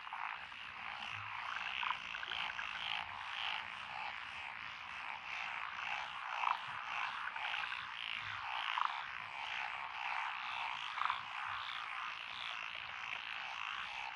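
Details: Rural lotus rice paddies in Echizen, Fukui, Japan, 12 June 2021, alive with a mixed chorus of Japanese tree, black-spotted pond, wrinkled, Schlegel's green and forest green tree frogs. Thick continuous croaking with occasional louder short calls standing out every few seconds.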